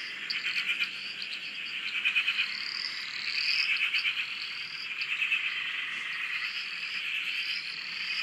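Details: Frog chorus recorded from a shack on a dam in Australia: dense, continuous pulsed trilling of many frogs, with short rising whistle-like notes repeating above the steady buzzing mass.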